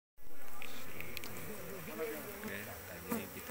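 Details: Asian honey bees from a large colony discovered in an oil palm plantation: a steady low droning hum with wavering harmonic tones and brief higher flicks as bees fly close, fading slightly over time.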